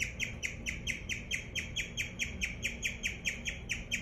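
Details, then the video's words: Close view of a guinea pig's chirp: bright, bird-like notes that slide slightly downward, repeated about four times per second in an even rhythm. "Guinea Pig Chirping"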